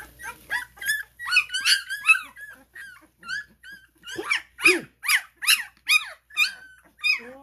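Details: Cane Corso puppies, twelve days old, crawling in a small indoor room: a steady stream of high, wavering whines and squeals with sharp rising-falling sweeps, several pups calling over one another at a rapid rate.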